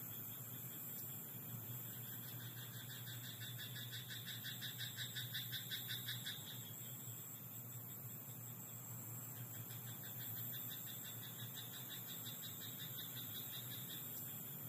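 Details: Night chorus of frogs in a rice field: rattling trains of quick pulses rise between about two and six seconds, then return more faintly later. A thin high whine and a low hum hold steady underneath.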